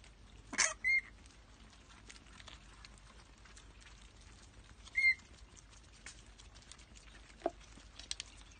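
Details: Rehabilitation or orphaned bats in care; a sharp screech followed by short, thin whistled notes, repeated once about four seconds later, then soft pattering and rustling.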